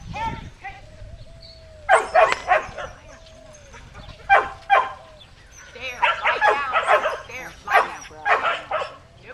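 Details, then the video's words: Herding sheltie Cammie at Performance Dogs in Action near Sacramento, California, recorded July 25, 2010 on a Flip camcorder; clustered yappy barks in two bursts, with whistle tones and faint voices between. "Sheltie Herding Sheep"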